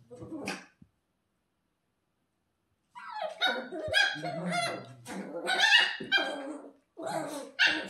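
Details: A 10-week-old female Shiba Inu puppy, second day in a new home, screaming: after a single yelp and a pause, a long run of shrill, wavering, harsh cries and yelps, loud and insistent, recorded indoors.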